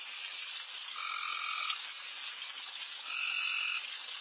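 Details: Insanely loud frogs calling all over a backyard late at night while deer feed: a dense, hissing chorus with steady tonal notes, one lower and one higher, rising above it in short bursts.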